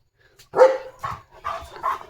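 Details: German Shepherd named Leo, limping from a sore leg yet running around the home yard, gives four loud, rough barks in quick succession, about half a second apart, with a woman's voice nearby.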